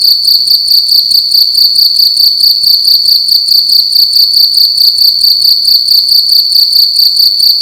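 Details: A single cricket singing loudly in a room during the night; its piercing, ringing chirps run together into a steady pulsed trill throughout, over a faint low murmur.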